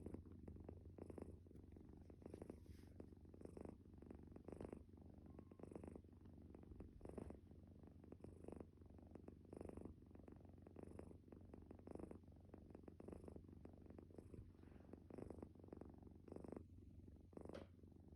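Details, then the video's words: A calico stray cat snores while asleep: a steady, low, purring rumble broken into breaths about once a second, each ending in a soft airy hiss, for the whole stretch. "코골이 고양이"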